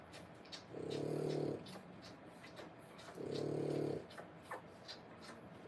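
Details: French Bulldog litter, three weeks old, born 1/10/25; two drawn-out, throaty snoring breaths about three seconds apart, each a low harmonic rasp lasting under a second, with quiet room noise between.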